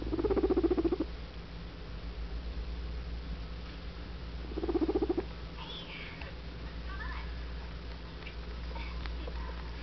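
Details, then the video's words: Adopted guinea pig named Guinea Weasley making two brief, throbbing pulsed bursts about four seconds apart, with a few faint squeaky chirps afterward and a constant low background hum. "Guinea Weasley makes noises"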